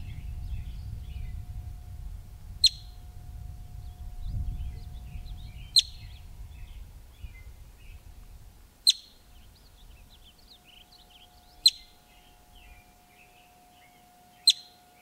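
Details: Alarm calls of a wild male yellow-bellied marmot filmed close up outside Yellowstone park: five piercing single whistles spaced roughly every three seconds, over soft twittering of small birds and low wind rumble that fades midway.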